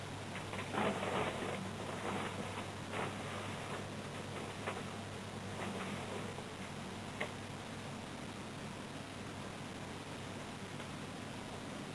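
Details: Steady broadband hiss with soft rustling and faint knocks indoors, a low hum underneath, and no animal voice.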